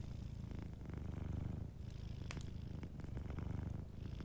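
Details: Warm, rumbling purr from a sleeping cat, low and rhythmic with regular inhale-exhale swells, set against light crackles and pops of a fireplace.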